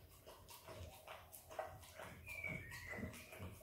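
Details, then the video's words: Rapid tongue clicks and wet mouth noises from Izzy, an Australian Kelpie x Border Collie puppy eating peanut butter, followed by a faint high whimper-like tone sliding downward in the second half. "Happy puppy dog licking peanut butter!! Dog licks & eats peanut butter ASMR!"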